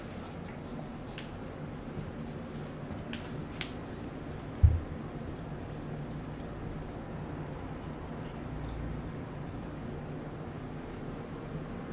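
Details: A quiet indoor room with a low fan-like hum, a few faint ticks and one soft thump, with no animal sounds.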